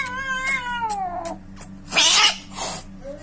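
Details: Domestic cat heard while attacking other kittens: a long descending wavering yowl, then short sharp cries and a harsh loud hiss-like burst near the end, with a steady low hum underneath.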